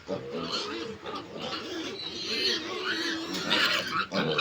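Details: Backyard pigs, a newly acquired sow about to farrow and piglets 25 days old; a steady run of rough grunts joined by brief higher squeals, loud and close, several animals at once.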